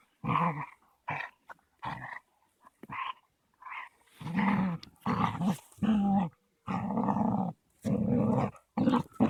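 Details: Caucasian Shepherd pair, a 3-month-old female and a 21-month-old male, playing rough; steady bursts of deep throaty growling, some long and sustained, broken by brief pauses and occasional sharper yips.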